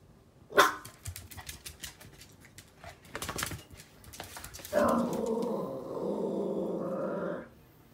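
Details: Female Yorkshire Terrier puppy, nearly 11 months old, wary of something beyond a door: one loud bark, scattered clicks and rustling, then a sustained rough growl lasting almost three seconds.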